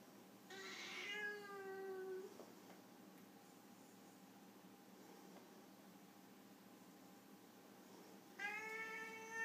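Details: Siamese Foreign White cat during a disagreement gives a harsh, drawn-out falling yowl lasting nearly two seconds, then a long silence, then another loud, strained yowl begins near the end; quiet room otherwise.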